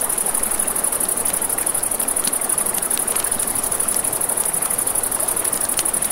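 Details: By a riverside campfire at night, crickets give a bright, rapid, evenly pulsed trill, and frequent sharp crackles from the flames rise over a steady background of running water.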